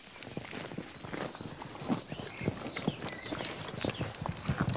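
A horse grazing, with steady crunching and tearing bites of grass.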